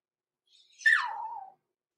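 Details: Six-week-old blenheim Cavalier King Charles Spaniel puppy, from Pom-Pom's small litter born November 14, 2022, overnight in an indoor puppy pen; a single whine slides smoothly down in pitch over under a second, in a quiet room.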